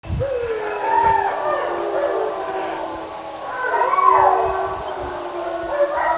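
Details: Several kennel German Shepherd dogs in a pack howling sequence, which began as soon as the camera was switched on and happens once or twice a day. Overlapping wavering howls rise and fall together in a continuous chorus for about six seconds.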